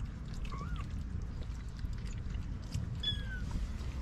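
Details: Stray white mother cat with four small kittens: two brief thin mews, the first arching up and down, the second high and sliding downward, over a constant low rumble and scattered clicking sounds.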